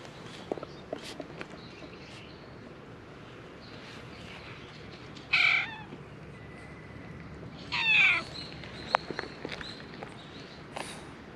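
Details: Stray cat on a cat island, filmed with a GoPro HERO8: two loud, harmonic meows about two and a half seconds apart, the second longer and sliding downward, with soft footsteps and faint clicks in between.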